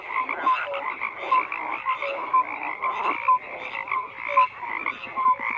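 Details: Chorus of croaking frogs, grating pulsed calls overlapped by clear short tonal notes repeated about once per second, steady throughout.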